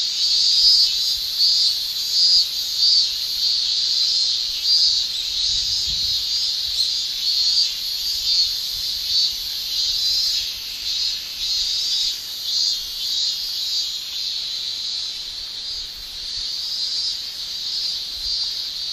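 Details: Male Japanese cicadas shrill in summer in Japan, a loud high buzzing drone from their tymbals broken into irregular pulses roughly every second, fading slightly toward the end.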